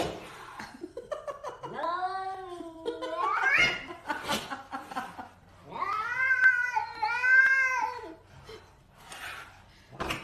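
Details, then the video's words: Cats meowing in long, wavering, drawn-out cries that rise and fall, two main calls with bends in pitch, some short noisy bursts between them. "Cat Meowing|Strange Sound of Various Cats"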